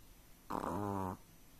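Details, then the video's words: Chihuahua-pug mix dog dreaming in its sleep lets out a single short harmonic whine-snore lasting under a second, steady and nasal with stacked tones, in a quiet room. "Snuffling, Snoring And Whistling During The Dream"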